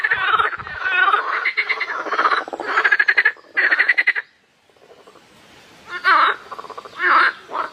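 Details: Frogs, apparently at night, give loud, raspy, pulsed croaks in bursts, with a brief quiet gap midway.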